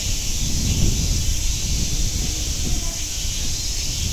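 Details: At Nogeyama Zoo, cicadas keep up a continuous shrill buzzing hiss without pause, over low background rumble and scattered faint sounds.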